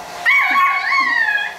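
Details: Pit Bull puppies at play: one long, high whining yelp, held and wavering slightly, then gently falling, with a faint second voice underneath.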